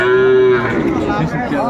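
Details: Sahiwal cattle at a winter cattle market in Kurigram, Bangladesh, 31 December 2024. A short, steady, even-pitched moo opens, then fades into softer lowing and a background of bargaining voices.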